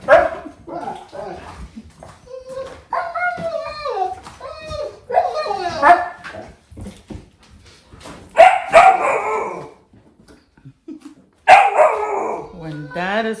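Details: Pet Siberian huskies excited as dad comes home, an older dog and a young one learning to howl; bursts of wavering, yodelling howls and whines with pauses between, human talk faintly underneath.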